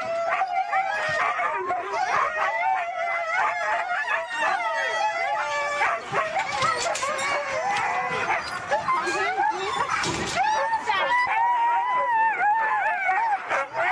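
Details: A pack of Siberian huskies at a race in East Anglia keep up a dense chorus of wavering howls, whines and short yips, rising and falling throughout.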